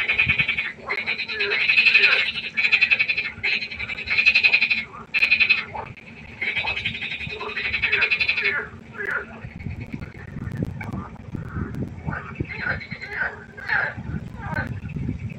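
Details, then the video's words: Pond frogs at night in chorus: loud pulsed, rasping croaks repeated in bursts about every second, fading later into softer scattered calls over low rumbling noise. "1 Stunde Froschkonzert. Frosch Geräusche quaken. Frösche Geräusche Konzert"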